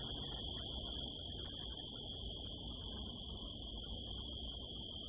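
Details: Crickets at night in the California desert hills under a harvest moon, recorded from a rooftop: a steady, unbroken high-pitched trill with a second fainter, higher band, over a low rumbling background hiss.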